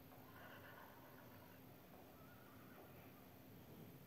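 A horse gives a quavering, breathy whinny over a steady background hiss.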